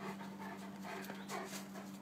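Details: Tosa Inu dog panting while playing ball. Soft, breathy, noisy huffs run continuously, with a steady low hum underneath.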